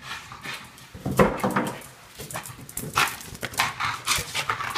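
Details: Boston Terrier indoors at home, worked up over a balloon, recorded on an iPhone 5S: short sharp huffs and snorting barks in quick irregular bursts over scrabbling noise.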